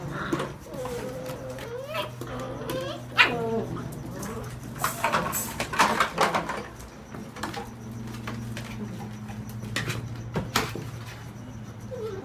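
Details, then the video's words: Whippet pups, seven weeks old, at play in a new box; thin rising and falling whines and squeaky whimpers early on, then bumping, rustling and short yips, with a steady low hum and quiet human voices. "Whippet puppies play in new box"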